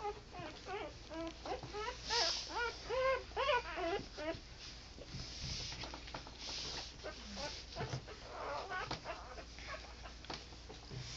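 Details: Newborn American Pit Bull Terrier pups from an eleven-puppy litter cry in a run of fast, arched, wavering whimpers for about four seconds, then quieter scattered squeaks and rustling.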